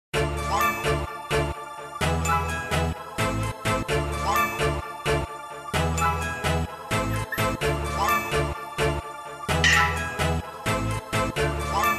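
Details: Festive music with jingling bells and a steady beat fills the recording, with no animal voices.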